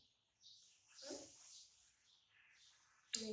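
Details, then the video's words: Newborn baby monkey Dody, laughing as his mother softly touches his neck: a thin, high squeal sweeping up and down for over a second, then a quiet stretch and a sharp burst at the end. "Newborn Baby Dody Laughing When Mom Touch His Neck Softy"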